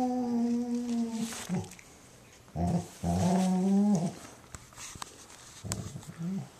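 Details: Female German Shorthaired Pointer making happy noises indoors while her Weimaraner sister cleans her ear: a low, steady, tonal moan, then a pause and two more groaning moans, ending in softer grunts.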